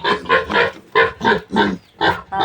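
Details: Newly weaned piglets of a young sow squealing on a farm, loud harmonic squeals in bursts about every half second, steady repeated chorus.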